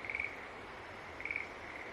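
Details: Two short, rattling high-pitched calls of a green tree frog about a second apart, each a quick burst of pulses, over faint hiss.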